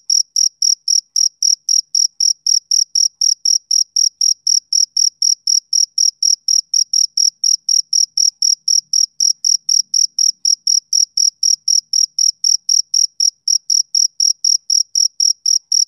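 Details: A male cricket chirps steadily through a summer evening, shrill high notes pulsing about four times a second in a tight, unvarying rhythm; nothing else intrudes apart from a faint low murmur near the middle.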